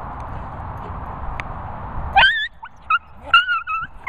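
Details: Cocker Spaniel startled by a Golden Retriever: after rustling and a low rumble of background noise, a burst of high, sharp yelps and squeals breaks out, several short cries in quick succession over about two seconds.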